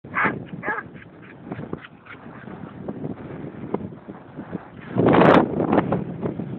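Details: Basset hound at play giving short harmonic barks and yips in quick bursts, with one louder, longer bark near the end amid low room rumble.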